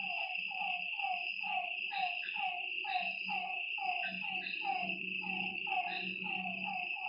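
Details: Frogs calling at night by a lake: a dense, overlapping chorus of short downward-sliding notes, set against a steady high insect trill and a low droning hum.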